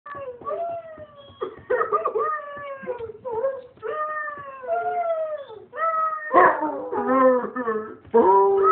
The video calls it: Twinky, our howling Basset Hound